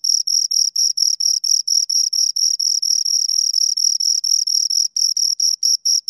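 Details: Two crickets chirping: a steady stream of short, high, shrill pulses repeated several times per second, with occasional brief pauses; nothing else heard.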